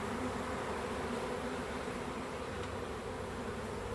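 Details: Swarm of honey bees in a back yard, heard during capture: a dense, steady droning hum with a low pitched band, continuous throughout without breaks.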